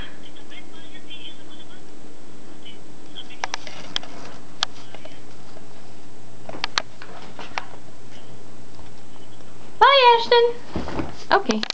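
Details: Kitty, a pet cat inside a bag in a small indoor room, gives one short wavering meow with bright harmonics near the end, after a stretch of quiet rustling; human speech is heard around it.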